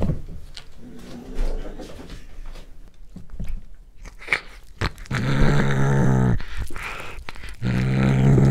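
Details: Pet cat eating corn for the first time, growling as it eats, close-up chewing recording made on a Panasonic GH5: crunchy bites and wet chewing clicks, then two long low rumbling growls, steady and buzzy, near the end.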